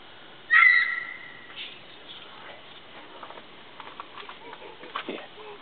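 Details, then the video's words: At night, a mountain lion, believed female, that had been caterwauling at a scrape site behind a house gives a single clear, bird-like whistled chirp from heavy brush 150–250 ft away, then walks off; faint rustling and quiet voices follow. "Mtn Lion chirp and caterwauling"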